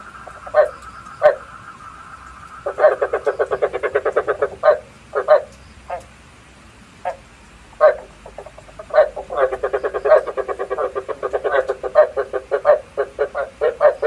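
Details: Frog lure calls used for night trapping with a bát quái trap: loud, raspy croaks in bursts and rattling pulsed series, repeated through the stretch, with a faint steady whine early on.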